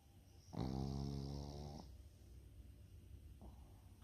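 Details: Flat-nosed Pekingese dog snoring in its sleep: one long, rasping, harmonic snore lasting over a second, then quiet breathing and a faint, short second snore near the end.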